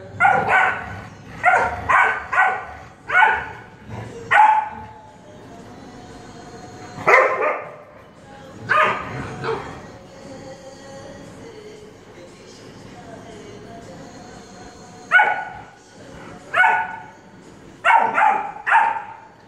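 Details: Saint Bernard puppy named Truffle, with a Dalmatian called Serena nearby; loud broad barks in quick bursts of three to four, then scattered single barks separated by pauses, with a faint background hum.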